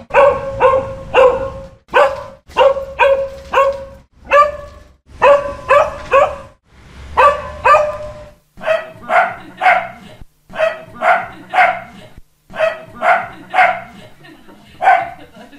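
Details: Continuous volleys of sharp dog barks, several per second in clusters, later barks sounding slightly different and more hoarse, with a low hum beneath the first half.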